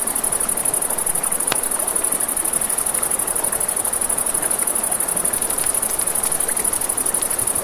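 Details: Nighttime crickets near a river keep up a shrill, rapid, steady trill; a loud single crackle from the campfire pops early on, with scattered smaller snaps and flowing-water hiss.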